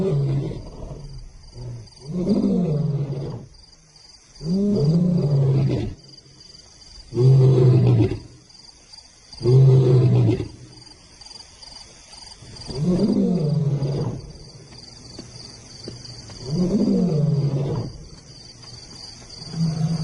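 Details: African lion roaring in a series of deep, low, grunting bursts. The bursts repeat roughly every two to three seconds across twenty seconds, each swelling and fading, with a faint steady high whine behind them.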